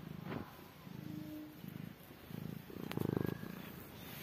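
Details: Low rhythmic purring from a mother cat tending newborn kittens, pulsing in short rumbling bursts with a brief faint tonal note early on and a sharp click near the end.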